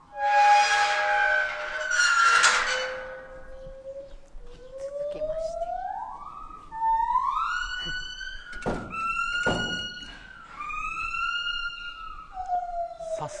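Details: A white-handed gibbon at Kyoto City Zoo on 8 May 2021 gives its great call, a series of clear, rising whooping notes that climb steadily in pitch.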